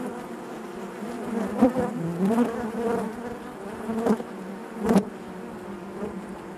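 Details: Inside a honey bee hive, a continuous low buzzing hum of many bees, rich in harmonics, with several short louder swells as individual bees pass close, including clear peaks at intervals of about a second.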